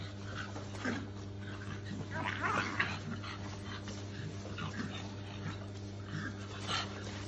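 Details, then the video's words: Shar Pei puppies play fighting: soft, scattered whimpers and short yips, with the busiest burst of squeaky sounds around the middle, over a constant low electrical hum and faint background murmur. "Shar pei puppies fighting."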